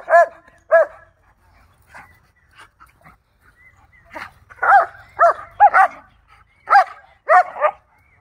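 A German Shepherd gives sharp, high, ringing barks and yelps in quick irregular bursts.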